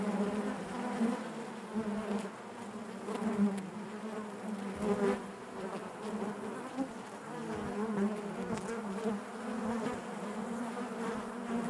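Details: Honey bees humming within the hive, a continuous low buzz with layered harmonics, gently pulsing in loudness over nearly twelve seconds with no other sounds.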